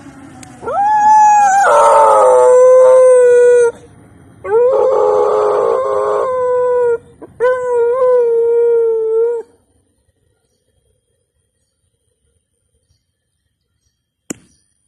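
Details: A pet dog singing in the morning; three long howls, each a rising then sustained wavering tone with rich harmonics, separated by short pauses, followed by silence and a single faint click.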